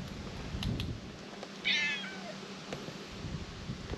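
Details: Brown tabby stray cat sitting on shrine stairs in Japan gives one short meow with stacked harmonics around the middle, then quiet outdoor background with a few faint clicks.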